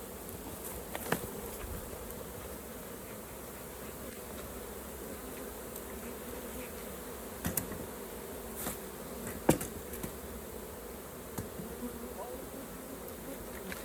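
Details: Honey bee hive during a beginner's honey harvest: a softer, steady background hum of bees, punctuated by several loud clacks and thumps of equipment across the recording.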